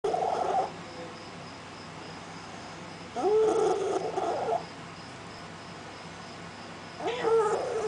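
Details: Strange cat that has lost its voice and cannot meow, calling at a doorstep at night. Three short, hoarse, strained mid-pitched calls, roughly three seconds apart, with quiet background hum between them.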